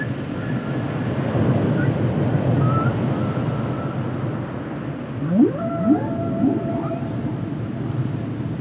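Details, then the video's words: Humpback whale song from a 1970 record; after low rumbling sea noise, a run of rising whoops and upswept moans, with one longer tonal note held steady, then a few lower groans. "Songs Of The Humpback Whale"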